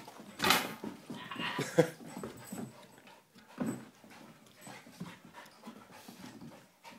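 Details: Matilda, a cow dog, meeting her new cousin Willow indoors: soft rhythmic panting with a few short whimpers and scuffling sounds, a louder burst near the start, quiet room background.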